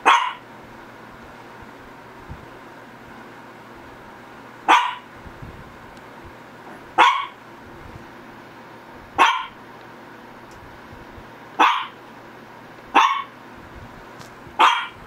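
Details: Shih Tzu barking in a slow, uneven series: eight short sharp barks across fifteen seconds, long pauses early and closer spacing toward the end, over a low steady hum.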